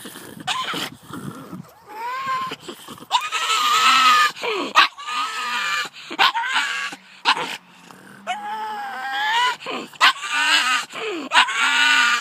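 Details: Layla, a pet pug, reacting to two terriers on the driveway with long wavering howl-like whines broken by short clipped barks, the yowls bending up and down in pitch; a faint low hum runs beneath.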